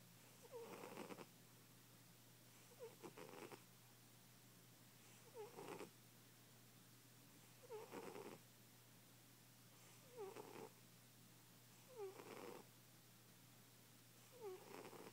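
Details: Loud snoring from a heavy-set sleeping cat: seven raspy breaths spaced about two seconds apart, each opening with a quick falling whistle before a noisy rattling exhale, over low indoor hum.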